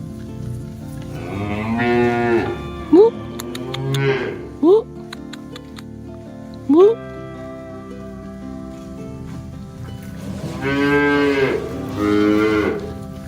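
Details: Herd of village cattle walking along a quiet village road with a herder on a cool afternoon, lowing with deep harmonic moos near the start and a longer pair later, plus a few short sharp rising squeaky calls in between.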